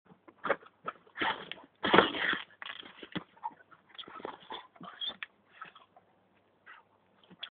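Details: Wild dogs roaming and frightening a neighbourhood: harsh, noisy snarls and growl-like bursts in quick irregular runs, loudest around two seconds in, then scattered shorter yelps and rasps fading toward the end.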